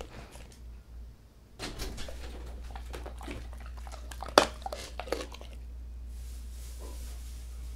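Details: Indoor dog mukbang with healthy dog food, including chicken-breast bossam, paprika-and-tomato kimchi, duck gizzards and duck wings. A hush, then a run of crunchy bites and gnawing clicks with one sharp snap midway, fading into quiet room hum.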